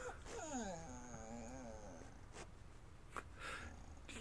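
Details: Ninja, a pet dog, whines while one of the household's four cats stalks birds in the backyard; a wavering, sliding whine lasts about a second and a half, stepping down in pitch, followed by a few sharp clicks and soft thumps.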